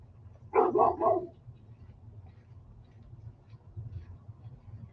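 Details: Reactive female dog barking on a walk at the sight of her trigger, another dog: a quick burst of three sharp barks, then quiet with low background rumble.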